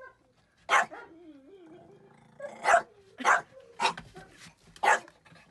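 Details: A Jack Russell terrier raiding a hen coop gives sharp, harsh barks spaced about half a second to a second apart.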